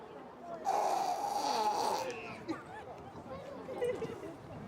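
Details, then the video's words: Single drawn-out, breathy nasal rasp of a hippopotamus lasting over a second, holding a faint whistling tone. The animal keeps its eyes open and appears awake. Japanese voices talk over and after it. "カバのいびき？ Hippo Snoring?"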